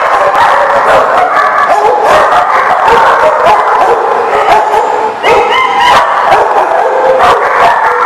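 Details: Many dogs bark at once, recorded October 13, 2018, a loud unbroken wall of overlapping barks with some higher yelping, tonal whines near the middle of the recording.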